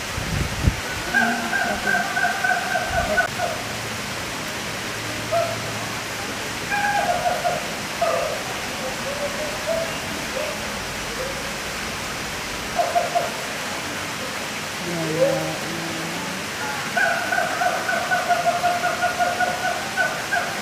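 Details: A captive siamang (Symphalangus syndactylus) at Taman Safari Indonesia, Cisarua, Bogor, West Java, gives loud, tonal whooping calls in rapid repeated bursts over a steady rushing background.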